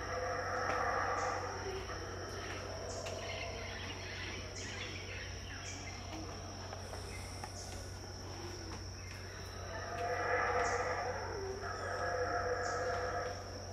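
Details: Howler monkeys at Tikal, Guatemala, in 2018 around 6am, unseen, give deep, roaring, drawn-out howls that swell and fade, loudest near the start and again toward the end, over a steady high insect whine.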